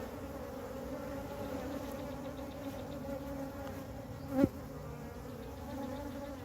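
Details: Swarm of honey bees clustered on the ground with their queen, collected into a hive by a beekeeper; an even, humming drone of many wings, with one sharp knock partway through.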